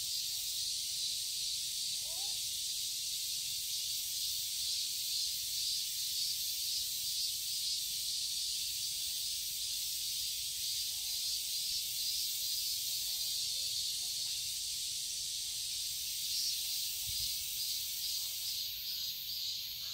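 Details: Cicadas calling in a Seoul garden in Korean summer, a constant bright, shimmering drone held for twenty seconds with only slight swells in loudness.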